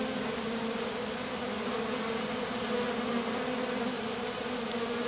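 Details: Few loyal worker honey bees clustered with their queen in grass after a swarm; constant even humming drone, layered low tones holding steady, scattered soft clicks.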